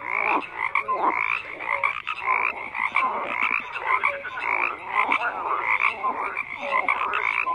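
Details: Many frogs calling at once, a thick wall of croaks with repeated short bursts roughly once a second, plus scattered higher tonal blips throughout.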